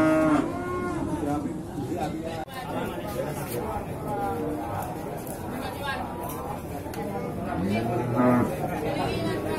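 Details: Bulls at Singkil cattle market, Boyolali, Indonesia, on 6 July 2019; scattered mooing mixed into busy market chatter and human voices, with one clearer rising moo near the end.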